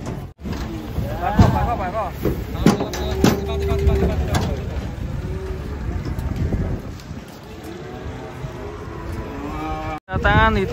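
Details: Cattle coming down from a truck in Indonesia, one described as angry; a few moos, one steady held tone near the middle and a wavering call at the end, mixed with people shouting, thumps and background music.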